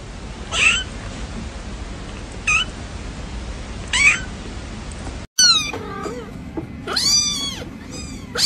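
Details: Kitten with three short, thin squeaks over a steady hiss of background noise, then after a brief cut, several clearer, high, arched meows in a quieter setting.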